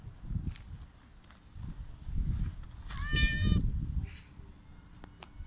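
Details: Hungry homeless mother cat with her kitten, fed outdoors; a short, bright meow midway through, surrounded by low rumbling handling and movement noise.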